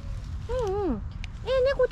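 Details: Stray kittens in Japan, a cream tabby male and a slightly older female, calling to each other: a falling, wavering meow followed by a shorter level meow and a brief chirp, against low outdoor rumble.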